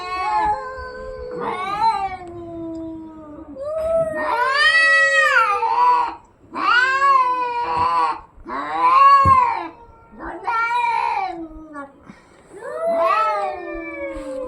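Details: Cats in a fight trading intense wailing yowls, long quavering cries that climb and fall, several loud bursts in a row with short silences, a low growling moan at the start.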